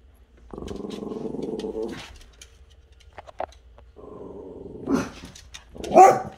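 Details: Buddy, a dog, growling at the cat next door, which does not like him though both are friendly: two long, steady low growls with a pause between, then short sharp bark-like bursts near the end.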